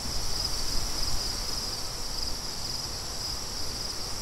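Crickets trill in a steady high-pitched band over a low rumble of wind.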